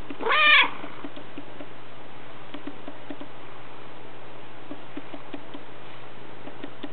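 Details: Black pet cat lying in someone's lap lets out one brief, clear meow right at the start, then falls quiet while faint clicking and a low electrical hum continue.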